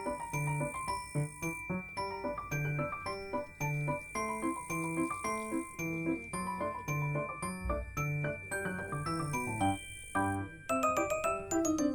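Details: Chiming glockenspiel-like music plays throughout, with bright repeated bell tones and a steady melodic pattern, and no animal sound.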